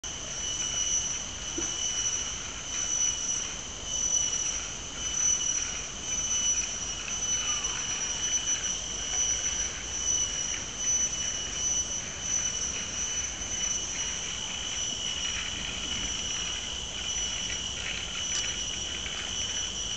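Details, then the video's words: Cicadas singing in Mt. Faber park, Singapore: an unbroken, shrill high-pitched drone holding two steady tonal bands, its loudness swelling and easing gently every few seconds without any pause. "The Sound of Cicadas in Mt. Faber park, Singapore"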